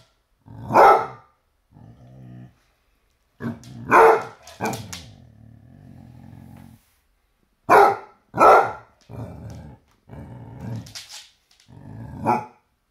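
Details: Basset Hound barking and growling at a toy T-Rex: loud deep barks in spaced bursts, interspersed with lower rumbling growls and softer grumbles.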